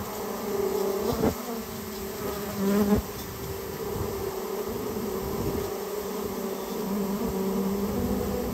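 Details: Buzzing Japanese honey bee colony that built its nest inside someone's storehouse, during removal; continuous layered hum with a few sharp knocks or handling clicks near one and three seconds.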